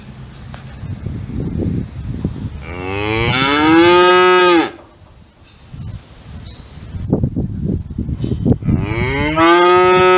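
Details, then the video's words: Cattle mooing: a long, strong low moo that rises in pitch and breaks off, then a quiet stretch with shuffling sounds, and a second moo beginning near the end. "Cow Sound Effect 🔊 , Lowing, Mooing, Moo 🗣️ - Sonido / Mugido de Vaca, Vacas Mugiendo Muu"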